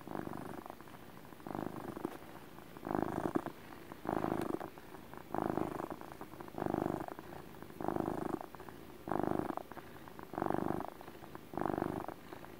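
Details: Domestic cat giving relaxed motor purrs indoors: a rumbling purr swelling in loud bursts roughly every 1.3 seconds, alternating with quieter inhaled phases, steady and rhythmic throughout.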